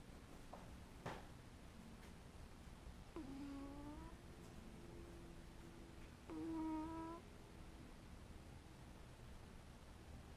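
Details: Domestic cat making sleepy noises while asleep: two soft, low, moaning murmurs, each under a second and a few seconds apart, with faint clicks and rustles in a quiet room.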